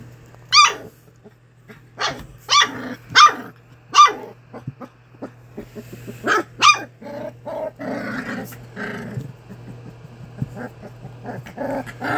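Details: English Springer Spaniel puppies from Ruby Todd's first litter at a kennel, play-fighting together; several sharp yelping barks with rising pitch in the first seven seconds, then softer grumbling growls and scuffling noises, over a steady low hum.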